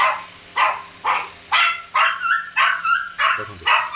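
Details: Small pet Shih Tzu named Laddu from India barks repeatedly, seven sharp high yaps about every half second, some ending in a brief tonal squeal.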